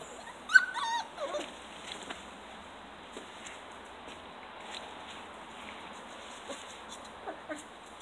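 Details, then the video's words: Sealyham Terrier puppies aged seven weeks playing and getting muddy in a garden; a few high, wavering whines and yelps near the start, then quieter faint squeaks against a steady background hiss. "Sealyham Terriers getting muddy in the garden aged 7 weeks"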